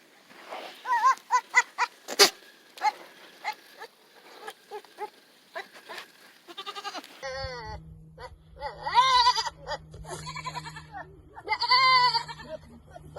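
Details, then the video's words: Hormonal goats making weird noises: short choppy bleats and clicks at first, then loud wavering, quavering bleats in bursts with a low steady hum behind them. "Funny and Weird Goat Noises"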